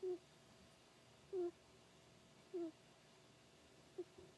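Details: A pet hedgehog snoring while asleep and dreaming: short soft squeaky snore notes repeated roughly every second and a quarter, each slightly falling, over a quiet room hiss.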